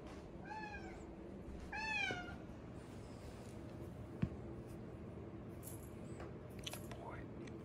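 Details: Orange tabby house cat meowing loudly to demand petting after coming indoors from watching outside; two clear, rising-then-falling meows about a second apart, then quiet room noise with a faint tap.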